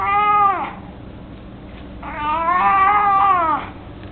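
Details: Mico, an 18-year-old male pet cat, mostly blind and chubby, indoors while carrying a toy mouse: two drawn-out, wavering meows, the second longer and rising then falling, with a quiet gap between.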